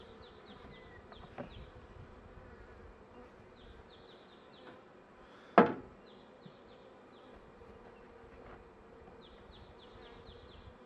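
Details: Honey bee colony in a managed hive near the end of winter, as spring approaches and the colony is being helped to survive; a steady low droning hum runs throughout, broken by one sharp knock midway, with faint high bird chirps above.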